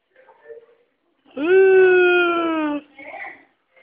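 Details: Lili, a female Poodle, asking for affection indoors: one long steady whine lasting over a second, slightly falling at the end, between quiet murmured speech.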